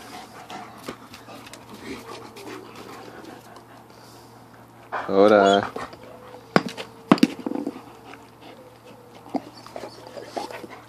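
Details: Husky-wolf mix enjoying a small watermelon it was given; a loud, wavering, harmonic whine-like vocalization lasting under a second midway, surrounded by quiet rustling and a man's coaxing speech.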